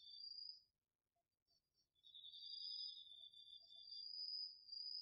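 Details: Crickets and other autumn insects in a chorus from a home garden field at night, recorded on a DR-40X: high, steady, shimmering trills in two overlapping pitches, a brief lull after the first second, then continuous ringing with faint low background rumble.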